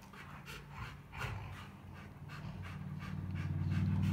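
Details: Rottweilers Clyde and the much smaller Cruella at playtime, playing hard and invading each other's space; quick rhythmic panting breaths, nearly four per second, over a steady low hum that grows louder toward the end.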